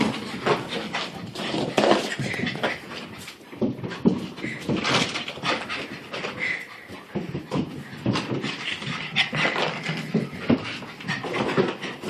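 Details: Indoor pet dog reacting to an unwanted new sweater with odd, breathy sounds: continuous rough panting and huffing bursts, with a few short, higher strained squeaks mixed in throughout.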